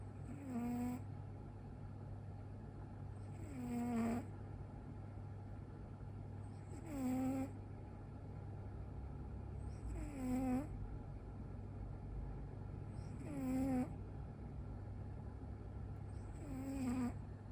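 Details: A sleeping domestic cat with its eyes rolled back to the whites snores loudly: six nasal, tonal snores about every three seconds, each a short buzzy rise and fall, over a steady low electrical hum.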